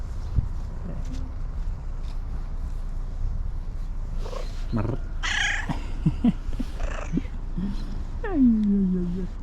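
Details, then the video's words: Fluffy female tabby cat arriving late, meowing excitedly and asking for love and food; a short falling meow near the end, with scattered rustles, a person's voice and low background rumble throughout. "Fluffy tabby cat, who joined us late, came to us meowing excitedly"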